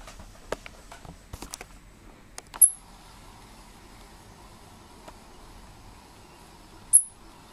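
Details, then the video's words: A pet squirrel gives two very high, sharp, bird-like chirps about four seconds apart, after a few soft clicks and rustles. "the squirrel is making funny bird sounds!"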